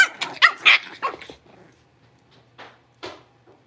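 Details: Five blenheim Cavalier King Charles Spaniel puppies, born around New Year, moved to a larger pen indoors; a quick volley of sharp, high yips and barks in the first second and a half, then two isolated yaps after a pause.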